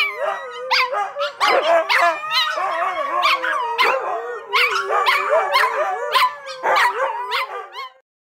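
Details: Pack of pet AKC Siberian Huskies singing together, several dogs howling at once in wavering, sliding, yodel-like tones, with choppy yips and short bursts overlapping throughout before fading out at the end.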